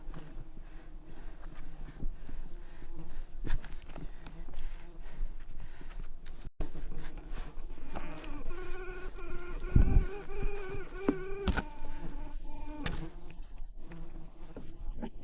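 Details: Wild bees from a giant honeycomb high in rainforest trees, a hive covered with thousands of bees; a steady low droning hum with layered tones runs throughout, over rustling, sharp thumps and human voices.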